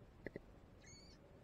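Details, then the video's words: Baby manatee swimming close by and calling for its mother: two short knocks, then a single thin, tonal squeak with bright overtones lasting under half a second, over a steady low underwater rumble. "Baby manatee squeaking for its mama"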